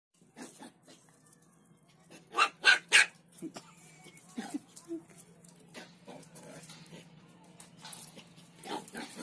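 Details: A two-month-old Lhasa Apso puppy gives a run of short, high yips and squeaky barks.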